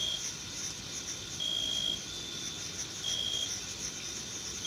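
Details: Crickets of a June meadow: a steady, high shimmering chorus with two drawn-out, piercing chirp trills rising above it in a short stretch.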